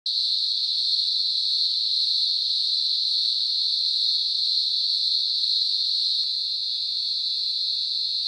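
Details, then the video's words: A cicada at night gives a steady, high, shrill buzz that drones on without a break. "Cicada sound at night"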